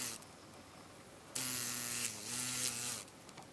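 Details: Green drone beetle (Rhomborhina unicolor) in Japan, late August 2012, with a deformed left hindwing, trying in vain to take off: quiet start, then two low droning buzzes of about a second each, split by a short dip.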